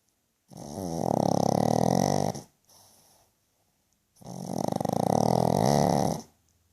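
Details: Sleeping pug dog snoring loudly indoors: two long, rasping, buzzy snores of about two seconds each, separated by a short pause and a faint softer breath.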